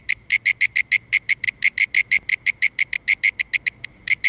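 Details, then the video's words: Calling mole cricket giving a continuous pulsed trill, around five evenly spaced buzzy chirps per second, loud and unchanging over a quiet low background. "Mole Cricket (Gryllotalpa sp.) Calling"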